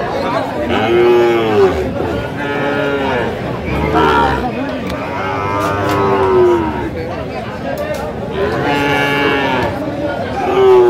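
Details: Sahiwal bull calves at a cattle market in Mymensingh, Bangladesh, on 19 April 2025: several drawn-out harmonic moos, some rising then falling, repeated through the clip over steady crowd chatter and men talking nearby.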